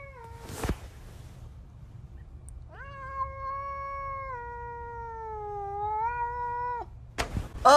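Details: Miska, a pet cat, gives one long drawn-out meow lasting about four seconds, starting with a rising onset, then held steady and slightly wavering before fading; brief thumps before and after, quiet room hum underneath.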